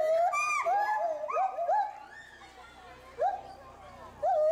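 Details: A pair of agile gibbons (Hylobates agilis) at Bristol Zoo Gardens, UK, give loud, swooping hoots that rise and fall in quick, uneven bursts. They seem agitated by something unseen in the bulrushes below, possibly warning calls.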